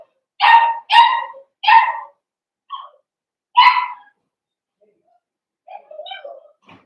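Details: A blenheim Cavalier King Charles Spaniel puppy from a litter of five gives three quick shrill barks, a soft yip and one more bark, then softer whimpering sounds after a pause.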